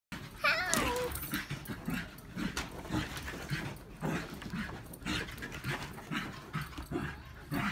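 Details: Two agile corgis chase each other; one corgi gives a single sharp, falling yelp of a bark, followed by scuffling and panting.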